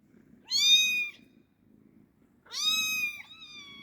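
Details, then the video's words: Kitten giving two drawn-out, high-pitched meows about two seconds apart, the second wavering at its end, with a faint low purring rumble throughout. "Gerçek Kedi Sesi Yavru Kedi Sesi"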